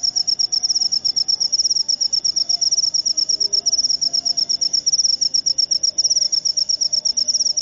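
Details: Cricket (jangkrik upo) producing a continuous stream of sharp, high-pitched chirp pulses in rapid, slightly uneven rhythm over a quiet, low background murmur.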